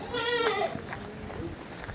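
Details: Boer goats at their enclosure beside a savannah section on a farm; one short wavering bleat with a stacked, nasal tone opens the stretch, followed by quieter murmur and faint background voices.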